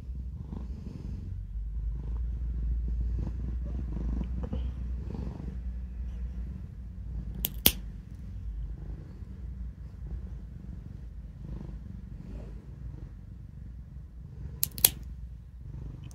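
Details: Black cat Kuro keeps purring while her claws are clipped, a task she dislikes; a low pulsing purr runs throughout in a small room, with two sharp clipper clicks and soft praise spoken near the end.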